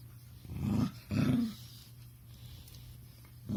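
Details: Kuma, a puppy, makes odd low noises likened to a purr or pig sounds: two short rough grunting bursts in the first second and a half, then quiet room hum, with another grunt starting at the end.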